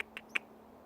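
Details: Squirrel. A young squirrel makes short, thin squeaks, three sharp chips in quick succession with the last one loudest. The background is otherwise quiet.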